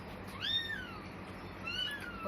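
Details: Two plaintive, high, downward-arching mews from a blind newborn kitten, one of four left on a cloth in a cemetery near evening, over a quiet low hum.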